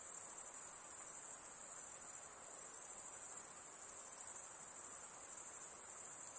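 An insect chorus makes a continuous, thin, very high-pitched buzz that holds level throughout. Faint soft hiss sits beneath it, with no other clear sounds.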